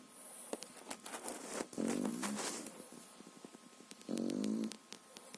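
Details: French Bulldog puppy of three and a half months snoring in its sleep: two buzzy, rumbling snores, partly masked by clattering, clicking and rustling handling noises close to the microphone.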